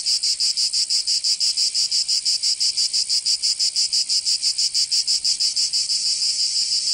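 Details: Summer cicada song from Provence in the south of France, a loud rasping buzz broken into even, rapid pulses roughly three per second, continuous throughout.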